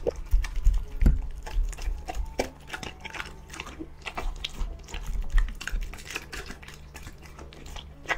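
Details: Crunchy, rapid chewing from a dog being fed, with dense irregular clicks and bites, about three per second, some louder crunches standing out, over a faint low hum in a small room.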